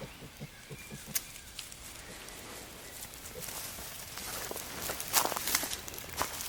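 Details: Wild boar sow Žofia with her eight newborn piglets, her first litter, in their forest home; a quick series of low soft grunts opens, followed by rustling and crackling of bedding with a few sharp clicks.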